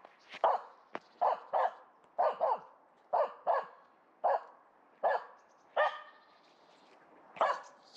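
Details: Coned female dog recovering from right leg surgery barks at a squirrel up a tree in a local forest, December 2021: a run of about eleven sharp, loud barks at uneven intervals over eight seconds, no other sounds.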